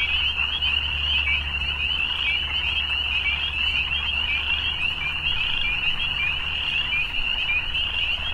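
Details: Continuous high trilling of many evening frogs forms a seamless chorus, while a steady low drone sits beneath for the first half, then fades.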